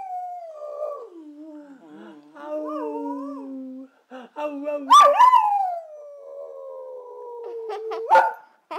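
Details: Brindle Boxer dog singing on request: wavering howls that slide downward, then a sudden higher yelping rise that settles into a long, gradually falling drawn-out note, with brief human voices around it.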